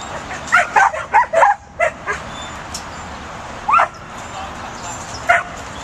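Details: Pembroke Welsh Corgi puppy, a herding breed from Pembrokeshire, Wales, barking while herding: a quick burst of five or six sharp yips in the first two seconds, then two more single barks spaced apart.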